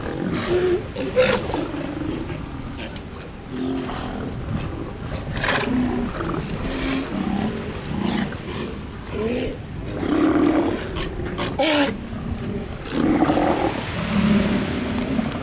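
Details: Colony of sea lions on the coast at Mar del Plata and Necochea, Argentina, uttering repeated gruff barks and groaning roars from many animals, mixed with wind, surf and occasional human voices.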